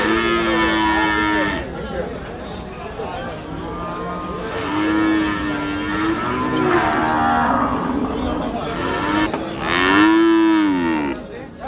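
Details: Cattle at Hazratpur cattle market: several drawn-out moos with rich harmonics, rising and falling, around 0-1.5, 5-8 and 10-11 seconds, over a busy crowd background with voices.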